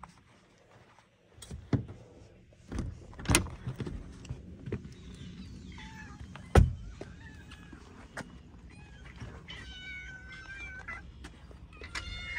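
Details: Hungry cats ready for food calling indoors: a few faint rising meows late in the clip, after loud thumps and knocks near the start.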